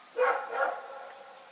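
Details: Dog barking in the night, a quick double bark with a raspy, mid-pitched tone, followed by quiet background hum.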